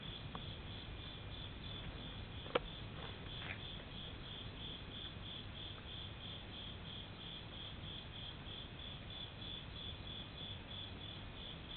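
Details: Nighttime insects at a temple in Japan in summer: a constant high pulsing trill, about three beats each second, with one sharp click partway through and soft low background noise.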